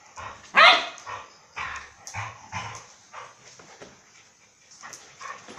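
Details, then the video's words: Two dogs playing together at a dog resort in Phuket; a loud yelping bark near the start, then a run of shorter rough barks and growly yips spread across the clip. "Mai and Mocca playing"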